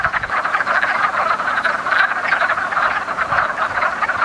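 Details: Mating wood frogs calling together in a woodland pond in early spring, a thick mass of quick, hoarse, chuckling croaks that pulse in rough waves throughout.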